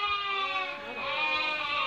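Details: Merino sheep from a Hungarian import flock, a Turkish customer choosing among them: a sustained, nasal, strongly harmonic bleat, swelling and wavering, with other sheep calling faintly behind.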